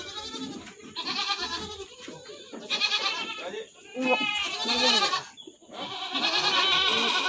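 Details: Bleating goats kept on an Indonesian farm: a run of loud, quavering, nasal cries, several close together, with human voices and shuffling sounds mixed in underneath.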